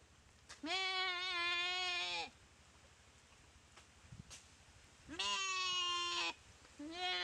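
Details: Goat eaten alive by a Komodo dragon after a paralysing bite, dry river in Komodo Village jungle; two long, loud, nasal bleats of over a second each, a third starting at the end, with a low droning hum between.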